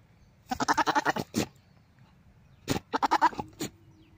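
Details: Goat giving a mating call: two bursts of rapid, wavering, pulsed bleats, each a quick stuttering run of about eight beats that ends in a longer single bleat, separated by a short quiet gap.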